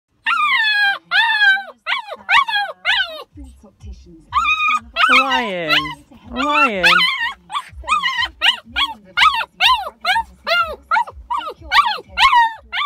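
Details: Orion, an 8-week-old Husky-Malamute cross puppy newly with his family, howls for the family's little girl in short, wavering yelps that swell into longer rising-and-falling wails as he learns to howl.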